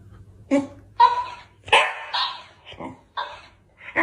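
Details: Chihuahua giving short, sharp, high-pitched barks and yips in irregular bursts, some about a second apart, in a quiet room.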